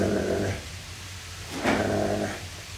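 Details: Low harmonic play growls from the playing Great Pyrenees pair Fritz and Beatrice come in two rumbling bouts separated by a brief pause and a short scuffing burst.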